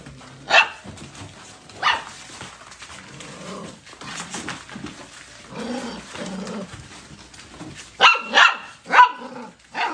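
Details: Golden Retriever puppies bark sporadically, two lone yaps early, then softer low sounds, ending in a quick cluster of four high barks.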